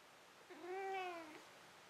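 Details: Domestic cat indoors after running and catching a toy utters one short arched meow, rising and falling over about a second, with a quiet room background.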